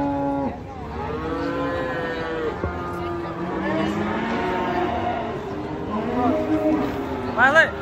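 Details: Cattle coming down from a truck, one stepped on by a companion, give long low moos that rise and fall and overlap steadily. A higher, sharp bellow breaks in near the end.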